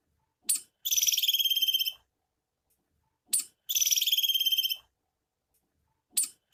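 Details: Female squirrel making its mating call: two full series of a sharp click then a rapid high pulsed trill near one second long, and the start of a third, separated by quiet gaps.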